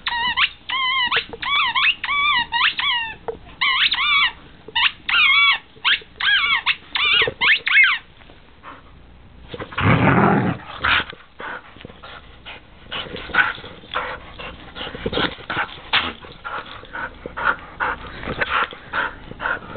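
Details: Siberian Husky opening gifts, giving a fast run of high, wavering, harmonic whining yips for about eight seconds, then paper rustling, a loud crunch and quieter scattered sounds.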